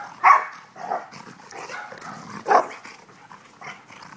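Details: Dogs having fun, a few short sharp barks and yips spaced irregularly, the loudest at the start and another about two seconds later, with softer whimpering sounds between.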